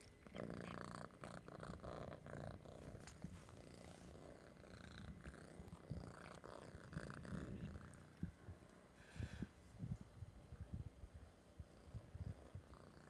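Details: Orange house cat purring close up while guarding its treats; a continuous low rumbling purr with a steady pulsing rhythm, broken by a few soft clicks and rustles.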